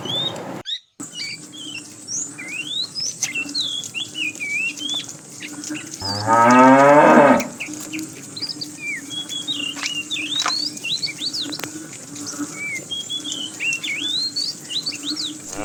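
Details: Tame cows roaming the road looking for food; a single loud, harmonically rich moo lasting about a second and a half mid-clip, surrounded by busy bird chirps and a steady low hum.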